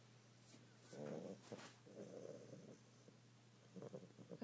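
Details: Sleeping bulldog puppy, tired out, gives one short rasping snore, then a longer, softer rattling breath and a few faint snuffles, all over a constant low room hum.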